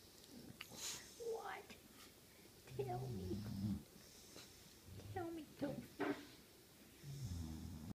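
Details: A 10-month-old English bulldog named Sophie talks to her family, wanting up on the couch: a run of short whiny, rising-and-falling groans in bursts, some squeaky, with soft breathy snorts between, in a quiet room.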